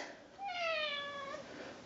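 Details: Ragdoll cat; meow; asking for treats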